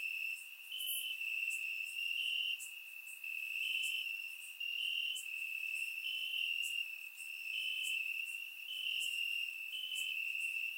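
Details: Night-time crickets chirping in grass, Bulgaria, warm summer: an unbroken shrill trill holding a narrow high pitch, stepping slightly up and down, swelling in roughly one-second waves with scattered higher clicks.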